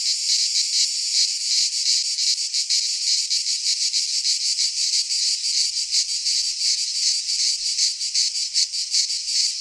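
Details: Cicadas singing in midsummer in a Greek pine forest: a dense, continuous high buzzing chorus with fast pulsing throbs, steady and loud throughout, no other sounds.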